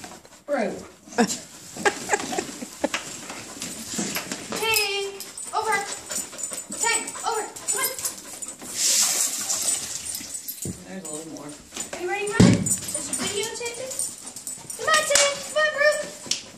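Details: During play, a German Shepherd puppy and a wheaten Terrier keep up frequent high-pitched yips, whines and squeaky barks in irregular bursts throughout, with people talking and occasional thumps in the background.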